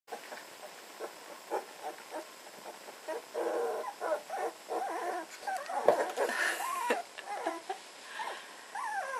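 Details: Red standard poodle puppies, 18 days old, playing together in an early play round: a busy stream of short squeaky grunts, yips and whines, many overlapping, with a few rising whimpers toward the end.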